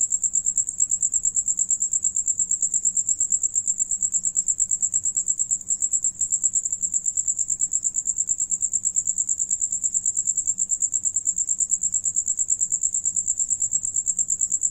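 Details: Several crickets singing while another one eats: a continuous high-pitched chirping trill, pulses repeated rapidly and steadily throughout, with only a faint low hum underneath.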